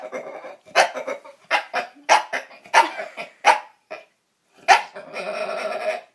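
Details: A female bulldog, acting on her own accord, produces dinosaur-like noises: a rapid run of short, harsh, barking grunts, then a longer grinding, rasping growl at the end, heard indoors.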